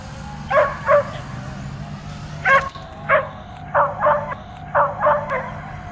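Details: Dog barking at a drone flying around above, trying to jump and catch it; barks mostly in quick pairs, fairly loud, over a low droning hum.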